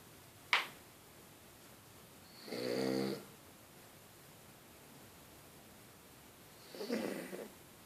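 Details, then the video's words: French Bulldog asleep, giving two snores, one a rasping harmonic snore near the three-second mark and a softer one near seven seconds, preceded by a sharp click, in a quiet room. "Bulldog francés roncando"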